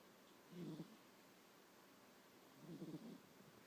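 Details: Sleeping 9-year-old house cat snores: a pair of soft, low, buzzy rumbles, each lasting about half a second and spaced a little over two seconds apart, with near silence between them.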